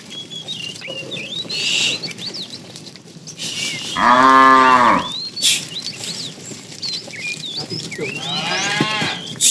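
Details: Tame cow in a herd being driven along in the afternoon, said to be calling the female: one loud harmonic moo of about one second, flat then falling, amid constant chirping birds, with a brief spoken voice.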